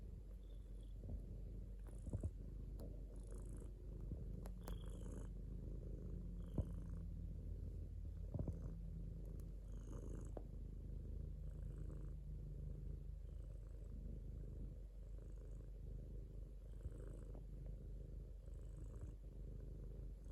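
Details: Continuous deep purr of a domestic cat, rumbling with a slightly wavering pitch in slow breath-paced waves, punctuated by a few soft taps and rustling sounds.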